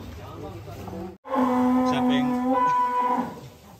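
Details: A giant cow being unloaded from a truck gives a long, steady, low moo lasting about two seconds. It follows a brief gap, with quieter lowing and chatter before it.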